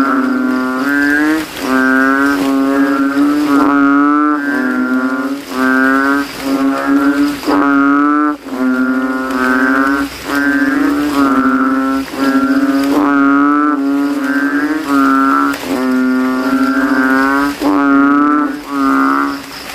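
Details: Banded bullfrogs (kodok kintel) calling from a rainwater puddle in a cemetery at night after rain, throats inflated, nearly all competing to be loudest: deep, nasal, mooing notes about a second long, overlapping in a dense chorus that scarcely pauses.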